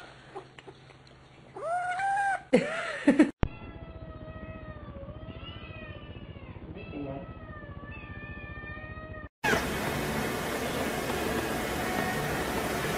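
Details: Kittens meowing: a few loud, rising-then-falling meows early on, then a stretch of softer wavering tonal mews, cut off by a burst of steady hiss near the end.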